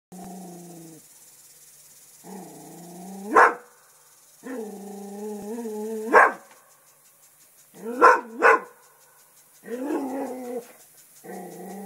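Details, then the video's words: English Springer Spaniel, a pet dog, growling and barking at a turtle to protect the house: long, steady, low growling tones broken by sharp, loud barks, some paired, roughly every two seconds. "barking and growling at turtle"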